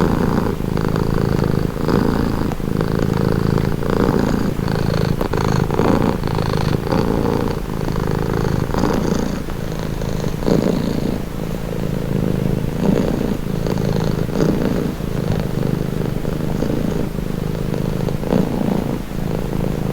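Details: Domestic cat purring, presented as a calming, relaxing sound: a steady, low, rumbling purr that swells and eases with each breath, close and unbroken for the whole stretch.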